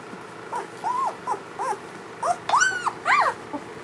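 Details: German Shepherd newborn puppies from a first litter, several together: high thin arched whimpers and squeals, rising then falling, in quick overlapping bursts about every half second, the loudest cluster near the end; quiet room background.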